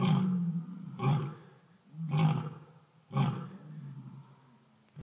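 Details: Sara and other lions and lionesses giving territorial roars, one starting and the rest joining in: four deep, booming grunting roars about one per second, each fading, the series trailing off quieter.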